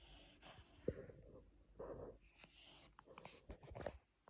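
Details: Pug snoring: soft, wheezy snorts and breathy rasps come in irregular bursts, with a longer nasal rumble near the middle and a sharp snort near the start. The recording is quiet, with low background hiss.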